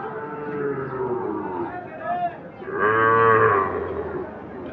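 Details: At the Ambari cattle market, Sahiwal bull calves suitable for farming: a single sustained, fairly loud moo rises out of the murmur of traders' voices and market bustle near the middle.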